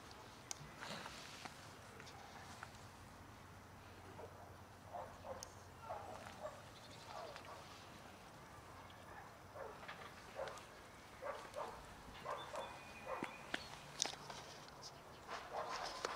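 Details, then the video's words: A family of cats, trying to mate with one another and then eating, gives scattered short harmonic meows across the clip, with faint rustling and clicks in between. "Cat family tries to mate with one another and start eating afterward"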